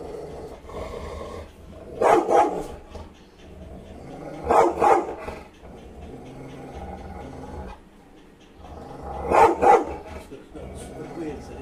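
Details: Rottweiler chasing a cat, giving rough paired barks, each pair a quick woof-woof, repeated three times over about eleven seconds above a constant low background hum.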